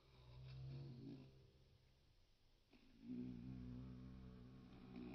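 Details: Shrill carder bee workers on an orientation flight in 2023, a low droning hum that wavers in pitch, swelling, fading briefly midway and then returning louder as a bee passes near.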